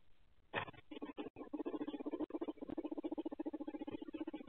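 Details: Pet guinea pigs at night with the lights out, caught on a Ring night-vision camera in their tank enclosure: a fast, steady string of low buzzy pulses, about three or four per second, forming a continuous purring rumble after a sharp opening noise.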